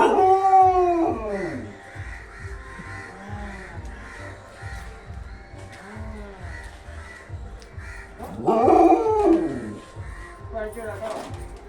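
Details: Dog howling with excitement as its owner comes home, a long wavering howl with falling harmonics at the start and another rising, quavering howl near the end; a man's voice and faint background music run beneath.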